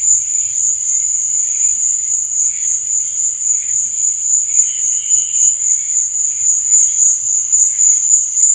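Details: Night-time cricket chorus, an unbroken piercing high trill that barely changes, over softer irregular buzzing tones lower down.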